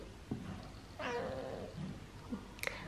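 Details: Indoor Siamese cat being talked to by its owner gives one drawn-out wavering meow in the middle, faint against room noise, followed by small clicks and a brief sharp sound near the end.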